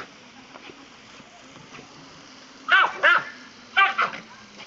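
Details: Dachshund playing with water being put on him, barking after a quiet stretch of low background noise: two sharp, bright barks close together, then two more about a second later.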